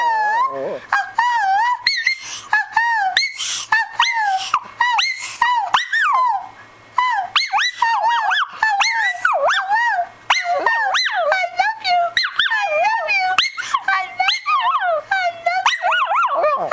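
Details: A female Shih Tzu sings along as her owner sings "I love you", seeming to mimic the owner, in wavering, high whining howls that slide up and down in long, tuneful phrases.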